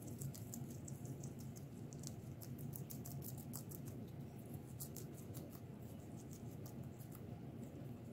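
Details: Guinea pigs eating vegetables make rapid, irregular crisp crunching clicks throughout, steady and busy, with a low droning hum underneath.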